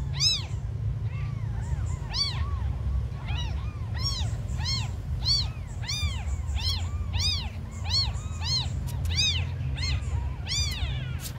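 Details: Tiny abandoned kittens meowing nonstop, high arched mews overlapping in quick succession, some rising and falling sharply, over a steady low rumble of background noise.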